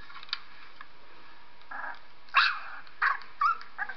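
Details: Squeaky dog whimpers as pet dog Purdy reacts to a three-week-old puppy recording; a soft whine, then three louder, sharp high squeals in quick succession and a fainter one.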